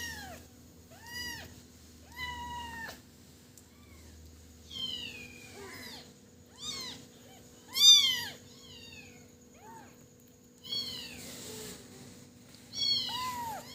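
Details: Baby cat crying repeatedly, with high arched mews of varying loudness about every second or two. Some cries are drawn out and strained, others are short and thin. The setting is a quiet room.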